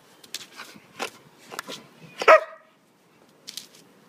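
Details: Siberian Husky playing in snow, giving several short broadband barks and yips spaced through the first two and a half seconds, one louder bark near the middle, then a pause and two faint yelps; a person exclaims about the cold.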